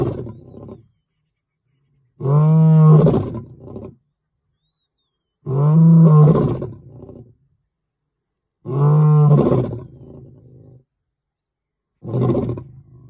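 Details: Lion recorded in October 2022 giving a series of deep roars, three full bellowing calls at roughly three-second intervals, each trailing into lower grunts, with a fourth roar starting at the end; quiet gaps between.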